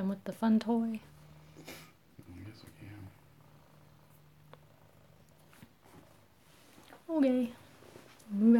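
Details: Kittens at home in Alabama, recorded close-up: a low, steady purring hum holds for about four seconds between bursts of human talk at the start and end.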